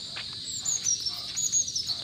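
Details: Crickets give a steady, high-pitched trilling chirp without a break, near santol fruit scattered on the ground.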